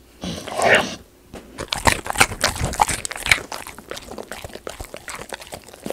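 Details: Golden Retriever eating raw sweet potato, the crisp kind that crunches when bitten. A loud crunchy bite opens, then a steady run of sharp crackling chews and munching continues for several seconds.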